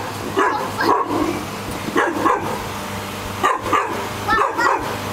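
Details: Dog in a bark-off contest, trading short, high yelping barks in clustered bursts roughly every second, some with a whimpering edge, over a steady low mechanical hum.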